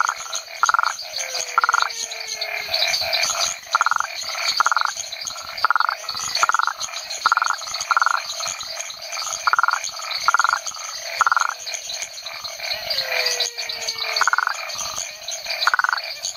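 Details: Rhinella cf. paraguayensis, a toad recorded at the Chiquitos research station, Hacienda San Sebastián, Chiquitania, Bolivia: short buzzy pulsed notes, each about a third of a second, repeated roughly every second over a dense night chorus of insects and other frogs.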